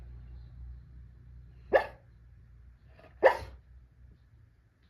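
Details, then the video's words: Two short, muffled woofs about a second and a half apart from Santee, a dog talking in his sleep, over a low steady background hum. "Santee be Snoring and Talking in His Sleep"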